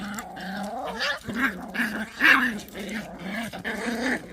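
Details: Pungsan dogs fighting over rank: a continuous rumbling growl that wavers in pitch, with sharper snarling bursts breaking in around the middle.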